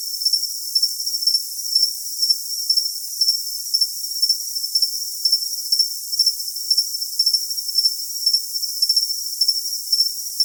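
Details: Cricket call for tinnitus masking, a long run of quick, bright chirps repeating roughly twice a second above a constant thin high tone, the lower range entirely empty.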